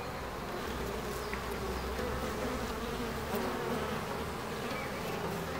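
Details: Continuous bee buzzing recorded in Ebersberg, a full, even droning hum with a slight rise and fall in strength and no other clear sounds.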